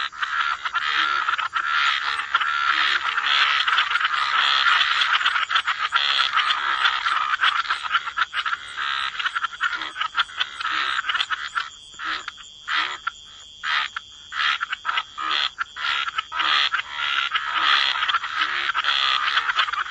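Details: Dense wetland frog chorus: many croaking frogs calling at once in a nearly continuous rattling wall of sound, thinning midway into separate quick pulses before swelling back to a full, overlapping chorus.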